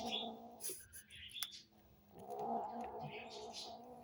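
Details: Hungry kittens feeding and vocalising as they eat, giving two sustained, rough, moaning growl-meows with a quieter gap between them, over light clicking and chewing noises indoors.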